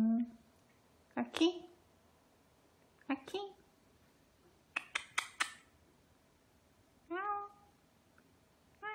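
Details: Ragdoll cats Ao and Aki, aged two years eight months and two years four months, on a quiet, peaceful weekend; short chirping meows come at scattered moments, with a quick burst of clicky sounds midway and a final brief meow.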